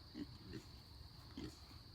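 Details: Farm pigs in bed inside their pen give soft, low, brief grunts, spaced irregularly, over a steady high hiss.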